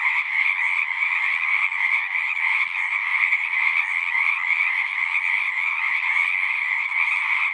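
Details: Short stretch of a frog chorus at a horse-pasture pond, Zoom recording: many overlapping pulsing croaks in high and lower layers, slightly rhythmic swells in loudness, otherwise constant.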